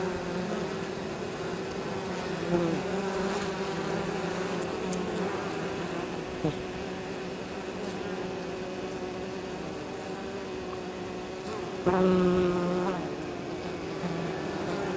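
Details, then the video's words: Honey bee colony on 23 October in exceptionally mild weather, foragers returning with pollen and nectar from nearby fields: constant low droning hum, with two louder close fly-by buzzes around the third and twelfth seconds. "Abeilles. Rentrées de pollen et nectar le 23 Octobre"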